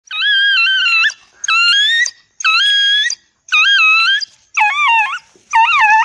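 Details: Dog giving six drawn-out, wavering, tonal howls, each about a second long with a bending pitch, separated by short gaps of silence.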